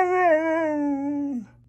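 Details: A "talking" dog lets out a drawn-out, tonal howl-like cry, rich in harmonics, holding steady before sliding slowly downward and dropping off at the end, over a low constant hum.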